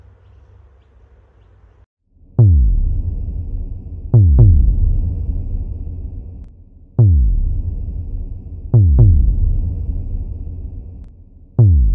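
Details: Electronic music plays, with a low synth drone and then booming drum-machine hits repeating every couple of seconds; no buzzing or other animal sound comes through.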